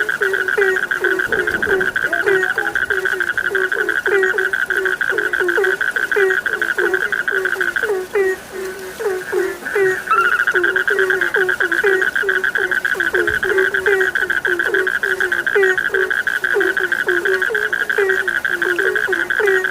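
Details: Frogs calling together as a sleep soundscape, dense repeated short croaks layered over an unbroken high trilling drone that briefly dips and shifts pitch midway.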